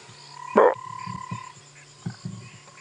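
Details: Grey foam-nest tree frog gives short, low, burp-like croaks over a steady thin tone, at sunset on a game-reserve safari drive on March 5, 2017, after rain, as many frogs start calling.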